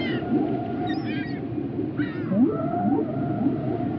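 Whale calls: rising and falling moans with upswept whistles over a steady underwater rumble.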